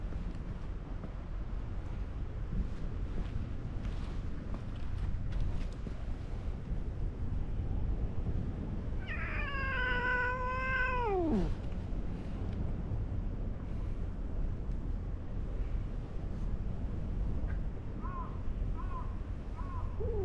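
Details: Orange-and-white cat abruptly calming after being caught by a senior cat while roughhousing with a person: one drawn-out, descending meow mid-clip, later a few faint short calls, over steady low rumbling background noise.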